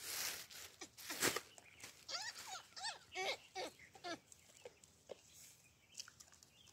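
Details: Baboons calling: a run of short, yelping calls with a rising-then-falling bend, roughly a dozen spaced unevenly over seven seconds, some louder and sharper than others, over a steady background hiss.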